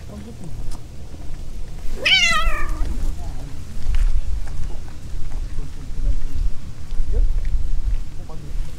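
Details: On Aoshima, Fukuoka's cat island in Japan, in the mating season, a stray cat gives one loud, bright meow that rises sharply and then slides down, richly harmonic, with a faint brief cry later and low outdoor rumble throughout.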